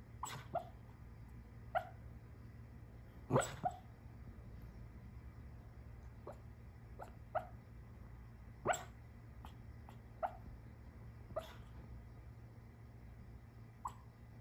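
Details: A sleeping female dog dreams on a sofa and lets out a run of quiet, clipped yips and huffs, irregular and closely spaced, with one stronger muffled bark early on; a faint constant room hum underneath.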